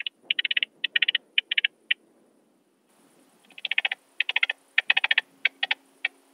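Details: Through a Pettersson D 100 ultrasound detector, an Alpine saw bush-cricket in Brixen, Italy, 11 September 2022, gives short clusters of sharp ticking pulses, falls silent for about a second, then resumes with denser, faster pulse groups.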